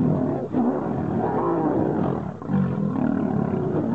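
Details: Two wild lions battling to become king give harsh, overlapping snarls and throaty growls, briefly dipping around half a second and again near two and a half seconds before surging back.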